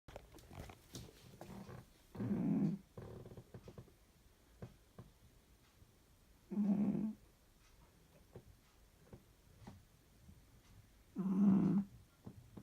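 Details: A sleeping domestic cat snoring very loudly indoors: three rough, low, droning snore bursts, each about a second long, separated by roughly four seconds of quiet breathing, with faint rustling between them.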